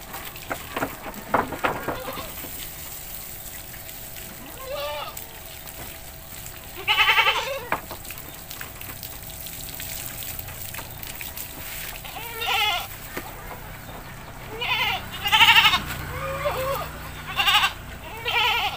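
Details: Domestic goat in a village, bleating while it is bathed: short, shaky, nasal cries come every few seconds, most bunched in the second half, with splashing and background chatter.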